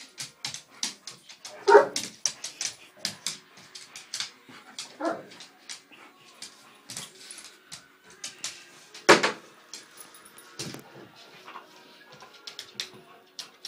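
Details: Two dogs play fighting indoors over a chair, with short growls and yips scattered among soft thumps and scuffling, two louder bursts standing out near the start and middle.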